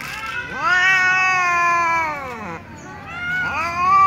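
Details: Domestic cats, among them a young ginger tom and a silver cat, meowing pitifully at mealtime: a long drawn-out harmonic meow falling slowly in pitch, then a second rising meow begins, several cats present.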